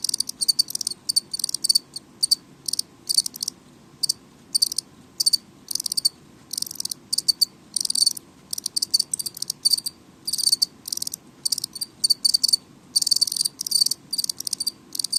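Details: House cricket chirping indoors, loud enough to be a nuisance: short bright pulses near the top of the range, grouped in uneven bursts with brief gaps, over a steady faint low hum.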